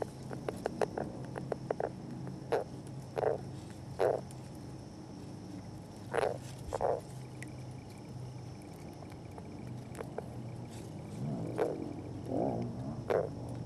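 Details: Northern leopard frogs courting at a mass of their eggs, recorded by an unattended camera: short grunting chuckles and croaks in irregular bursts, some quick clicking runs early on, over steady low background hum.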